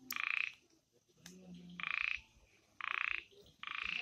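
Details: In the Amboli hills forest at night, a frog gives harsh, grating croaks, each about half a second long, spaced roughly a second apart, with soft low murmurs between them.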